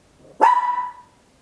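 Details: Single loud, ringing bark from a small Papillon dog, captured indoors with an Olympus LS-11; an abrupt onset settles into a steady held tone lasting about half a second before fading, in a quiet room.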